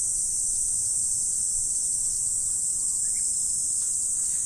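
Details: Morning insects in autumn make a steady, sustained high-pitched buzzing drone without pauses; a faint short chirp slips in near the end over quiet low background noise.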